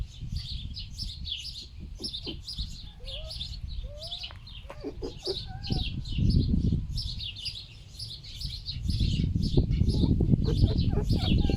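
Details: Pig-like grunting from two fur-farm-rescued pet foxes puzzling over a wind-killed bird in strong wind; dense low rhythmic grunts in long bursts, a few short whiny rising notes, steady high twittering of small birds and wind noise.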